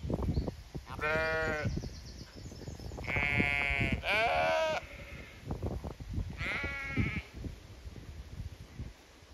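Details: Zwartbles sheep flock on a regenerative farm in County Kilkenny, Ireland, calling in expectation of being moved to fresh pasture; three loud harmonic bleats about two seconds apart over low shuffling and thumping noise.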